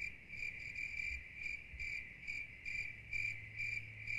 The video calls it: 30mins of Soothing Cricket Sounds